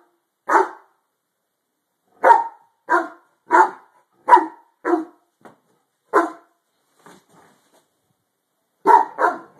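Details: Harlequin Great Dane barking at something under a bed, sharp deep barks in clusters separated by pauses, with a pair of quick barks at the end.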